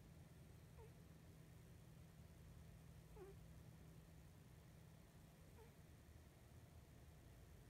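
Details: Sleeping Norwegian Forest Cat puffing through its nose while dozing: three short, faint squeaky nasal puffs spaced roughly two and a half seconds apart, over a steady low indoor hum.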